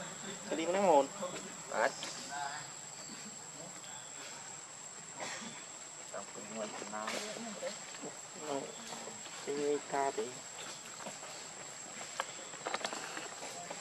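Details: Baby monkey named Leo, hungry and begging its mother for milk, gives wavering, whiny harmonic cries in short bursts with pauses between, over a steady high background hum and faint rustling.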